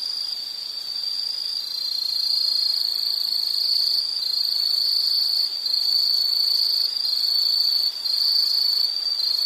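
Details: A high, shrill insect chorus keeps up a continuous ringing trill with a rapid pulsing texture, growing a little louder after the first two seconds and wavering slightly in pitch.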